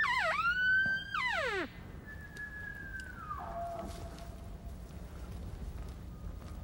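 A bull elk gives a high, whistling bugle that rises sharply, holds, then slides down.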